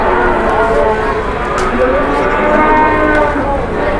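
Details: Jumbo cattle at a cattle market in Indonesia, where traders bargain over a high asking price; a bovine moo buried in dense, continuous crowd chatter and market bustle.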